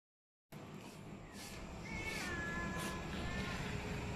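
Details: Abandoned cat, dumped by people and fed every day by its rescuer, utters a single drawn-out meow that wavers and slides slightly downward, over steady background hiss.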